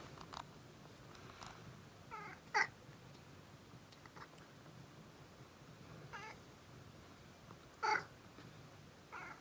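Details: Cat enjoying a massage at home, uttering short pleasured grunts: several brief harmonic calls spread over nine seconds, the loudest two about five seconds apart, with faint rubbing and rustling between them.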